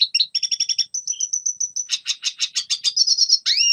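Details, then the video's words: Red siskin singing for training young birds: a crisp repeated stutter of identical chirps, a run of clear whistled notes, then buzzier, rougher trilled notes and a final rising slur. "Red Siskin Singing Best Song Training - Yellow siskin tập cho chim non hót"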